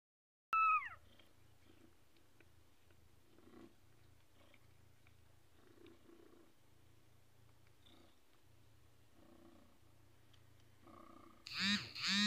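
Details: Persian cat mother feeding her kittens indoors: a short, clear mewing call at the start, then a low steady hum under faint rustles, ending in a loud burst of overlapping high mews.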